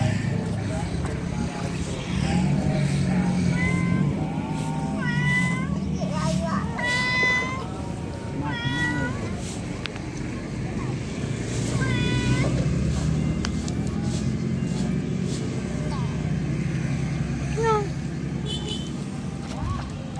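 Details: Female domestic cat calling her kittens: a series of short, bright, harmonic meows, some rising then falling, given in loose bursts every second or two, over a steady low traffic rumble with a person talking at times.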